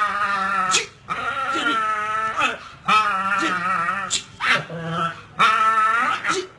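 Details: American Pit Bull Terrier puppies at play, chewing on tires, produce drawn-out harmonic whining growls that bend up and down, in about four long bursts separated by short gaps.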